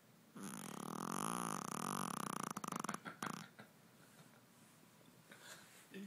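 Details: A tiny 5 lb Shih Tzu sleeping hard after a long day with no naps, letting out one long, loud, rasping snore lasting about three seconds, then quieter breathing.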